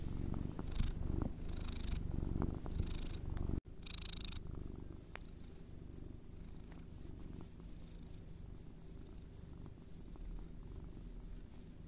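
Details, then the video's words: Cat purring, a low vibrating rumble pulsing with its breathing, louder in the first few seconds, then softer and steady after a brief break. "Soothing sound"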